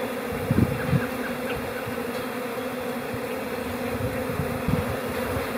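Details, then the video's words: Calm spring honey bee colony in April humming in a steady two-toned drone, broken by a few soft low thumps early and near the end while the buzz stays constant. "Bee Calm April Chatter"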